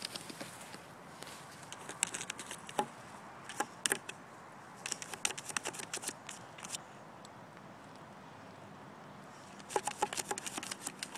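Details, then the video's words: Lhasa Apso digging, heard as bursts of crisp scratching and scraping separated by brief pauses, with quiet patter between the bursts. "lhasa apso digging 2"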